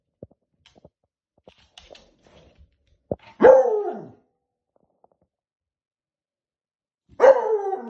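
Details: Beagle puppy barking at a balloon, producing two loud, drawn-out barks with a falling, howl-like tone about four seconds apart, with faint clicks and small knocks before them.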